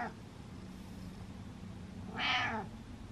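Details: Domestic cat meowing indoors to get attention, one clear drawn-out meow rising then falling, with a faint low hum in the background.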